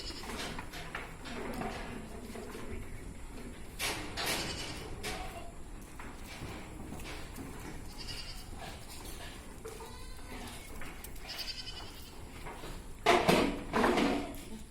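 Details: A Black Bengal goat on a farm in Odisha, India, gives wavering, quavering bleats late in the recording, ending in a louder harsh burst, with faint human voices and farm noise throughout.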